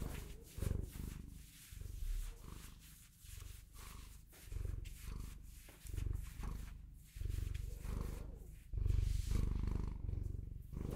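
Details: A Bengal cat purrs steadily, a throaty rumble in rounded swells about every second, louder toward the end, with breathy noise over it.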